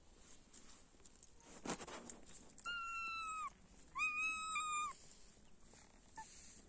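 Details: Kitten with its mother cat gives two long, clear, high-pitched meows, each close to a second, steady in pitch and dropping slightly at the end, after a brief rustling burst against quiet background hiss.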